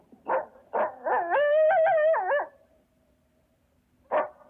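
A coyote gives sharp yips that break into a wavering, quavering howl, then yips again.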